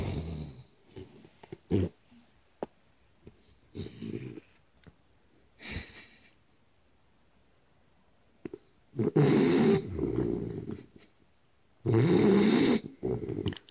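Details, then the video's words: A 3-month-old Pit Bull puppy sleeping on a lap snores in scattered low, rough breaths separated by quiet pauses, with two longer, louder snores near the end. "3 Month Old Pitbull Puppy Snoring Like Old Man"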